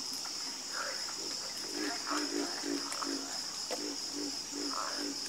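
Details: Croaking frogs at night produce a run of evenly spaced, low, pulsed notes roughly every third of a second, with a steady insect-like whine high above.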